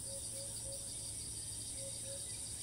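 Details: In Thailand, a cicada that keeps singing even while fleeing from perch to perch; an even, piercing high drone fills the clip, with a few short low whistled notes spaced about a quarter second apart.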